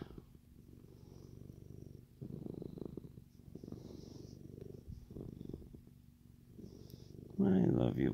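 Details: Contented male Siamese cat purring while being fussed over indoors, a rhythmic low rumble rising and falling in pulses, with a soft voice murmuring and a closer rustling burst near the end.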